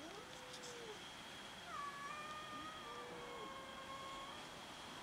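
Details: Domestic cats quarrelling over food give a few drawn-out, level meows, one with a small rise at its start, against a noisy background with a steady high whine and faint clatter.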